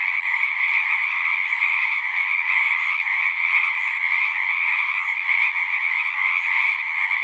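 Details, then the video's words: Many frogs singing together at a pond in a horse pasture, recorded with a Zoom 6: a dense, unbroken chorus of high trilling voices holding a steady shrill pitch throughout, with no other sounds heard. "Frogs singing"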